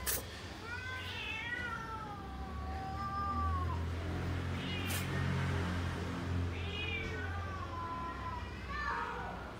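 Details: Cats and kittens meowing while they wait for tasty food, with long, bending meows that rise then sag, a few shorter cries near the end, and a steady low hum underneath.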